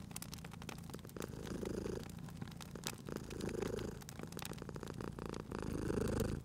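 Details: Sleeping cat purring beside a crackling fireplace in a cozy indoor setting: a low rumbling purr that swells and fades with each breath roughly every two seconds, with sharp pops and snaps of burning wood throughout.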